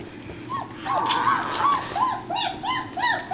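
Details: German Shepherd puppies aged three and a half weeks, born December 27 2013, produce quick arched squeaks and whines, rising in pace toward the end, over a hissy background.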